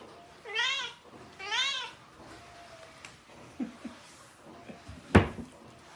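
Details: Domestic cat from a funny-cat compilation gives two clear meows about a second apart, each rising then falling in a smooth arch. Soft thuds and a single sharp click follow in an otherwise quiet room.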